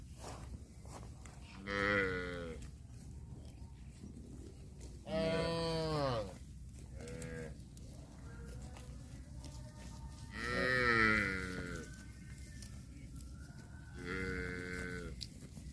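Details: Cattle mooing: five loud, drawn-out moos, each about a second long, rich and nasal with some rising then falling in pitch, spaced irregularly over fifteen seconds above a low steady background hum.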